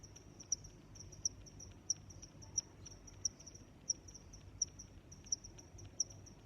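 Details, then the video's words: Cricket chirping: a steady high-pitched trill with sharp pulses recurring roughly every 0.7 seconds, set against a faint low background hum; no other animals are heard. "Sounds of Crickets"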